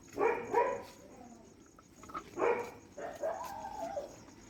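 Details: Night feeding at a dog shelter: a quick pair of sharp barks, a pause, then another bark and a longer rough yelp, with a faint voice in the background.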